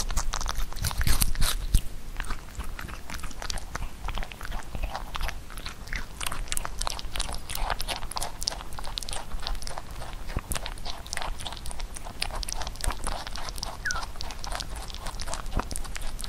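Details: Huchu the pet rabbit chewing Korean melon in a small indoor room, a fruit it rarely ate when young. Dense crunching and moist chewing clicks run about three per second, irregular, with a louder burst of bites near the start.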